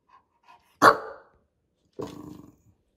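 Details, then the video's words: Bulldog barking after being ignored: two loud, harsh barks, the first sharp and short, the second about a second later, longer and slightly rasping, with faint brief sounds before them and otherwise quiet. "Ignoring a Bulldog… barks and backlash"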